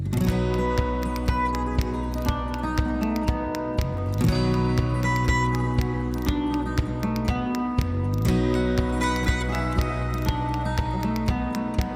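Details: Soft acoustic guitar music plays throughout, strummed and plucked over a steady rhythm. No animal voice can be picked out.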